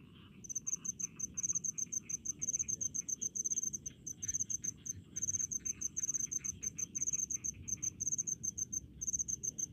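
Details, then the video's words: Crickets calling in rice fields, a steady run of high, shrill pulsed chirps grouped in short bursts with brief gaps, over a soft low rumble and fainter lower insect buzzing. "SUARA JANGKRIK DI PESAWAHAN"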